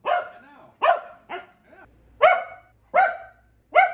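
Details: Keeshond named Kumo giving six loud, clipped barks spaced irregularly, roughly one every half second to second, with a softer, lower bark in the middle; otherwise quiet.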